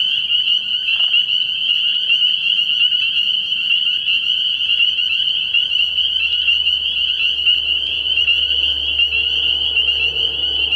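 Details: Spring peepers calling in a dense chorus from a frog pond at night early in the year: countless high, piercing peeps merge into an unbroken shrill band, with faint low rumble beneath.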